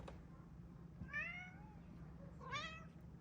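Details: Calico house cat indoors watching a flock of birds outside, chirping at them; two rising, trilled chirrup calls about one and a half seconds apart, with quiet room noise.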